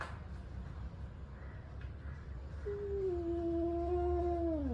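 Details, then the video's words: Angry male cats warming up for a fight: after a stretch of low rumbling background, one long, steady yowl begins and slowly sinks in pitch toward the end. "Angry male cats warming up for fighting"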